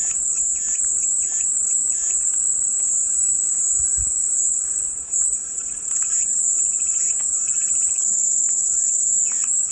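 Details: Cicadas droning as peaceful white noise: one constant, very high, hissing tone runs the whole length, with light bird calls and a short low knock near four seconds.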